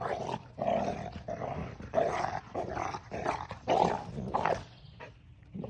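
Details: Playful growling from six-month-old Central Asian Shepherd puppies, litter O, celebrating their birthday: rough, throaty growl-barks repeated in quick bursts about every half second, rising and falling in loudness throughout.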